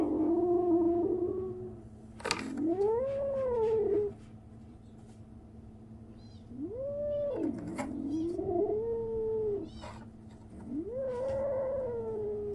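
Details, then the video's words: A kitten at 37 days after birth makes strange noises: four long, loud, tonal meows that swoop up and sag down, each one to two seconds, with brief clicks between and a low background hum. "생후 37일째 베리의 아기고양이! 이상한 소리를 내요, 37 days after birth, the kitten makes strange noises"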